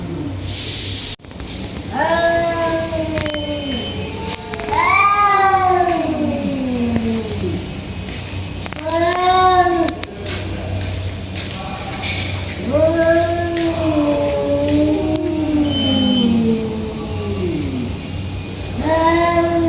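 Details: Fighting tiger cats trade drawn-out caterwauls, each wail swelling and then dropping in pitch, about six in a row with short gaps. A brief noisy burst opens the recording, and a low hum runs underneath.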